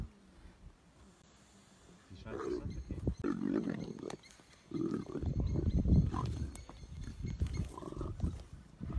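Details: Leopard in its territory, big leopard fighting and killing a smaller one; deep rough growling and snarling bursts from about two seconds on, rising in loudness, with faint human voices.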